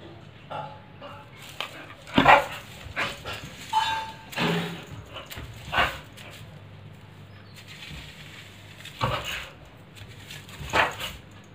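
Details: Pit bull dog playing with a broomstick, giving short harsh barks and growly bursts at irregular intervals, with loud clusters near two, four and eleven seconds; a human voice and indoor clatter are heard between them.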